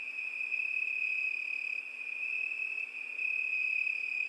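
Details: A cricket's continuous shrill chirring, one sustained high note without pauses and with faint upper overtones; no other creatures or noises.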